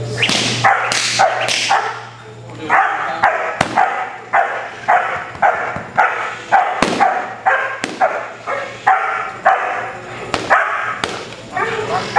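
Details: Cody, an eight-month-old sable male German Shepherd in protection dog training, barks in loud, harsh bursts, about a dozen and a half over twelve seconds, some doubled, at uneven spacing, over a steady low electrical hum.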